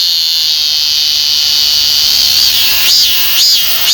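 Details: Korean cicada, named as one of the most common cicadas in the country, filmed in Korea: a loud, dense high-pitched buzz holds steady, then turns into rising-and-falling pulsed phrases about twice a second near the end.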